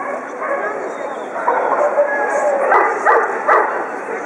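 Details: German Pinscher females at the Favorit dog show in Moscow on 6 March 2011: three sharp, loud barks in quick succession near the end, rising over a steady hum of indoor crowd chatter and voices.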